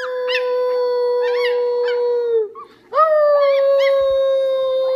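A young coyote gives two long, steady howls, fairly high-pitched, each fading downward at the end.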